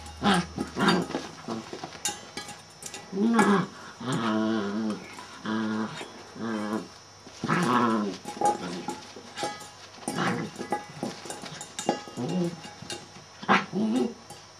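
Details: A Shetland Sheepdog called Celtyr, male, keeps up a long run of tonal, moaning barks and growly yowls. Bursts come roughly every second or two with wavering pitch, and a few sharp clicks occur between them.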